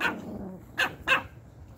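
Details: Pomeranians, puppies and grown dogs, barking while receiving treats; three short, bright, high-pitched yaps spaced unevenly within under two seconds.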